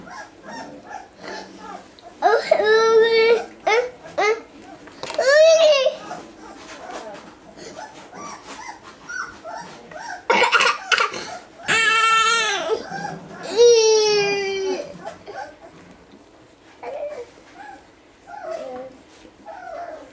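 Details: Basset Hound. Newborn Basset Hound puppies cry with thin, tonal whines that waver and slide downward, coming in bursts a second or two long. Quieter murmurs and a little soft background chatter fill the gaps between cries.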